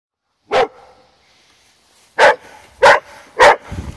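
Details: Female Rottweiler barking, upset at a wagon she does not like: one loud, harsh bark, a pause of over a second, then three more sharp barks about half a second apart, with a low grumble at the end.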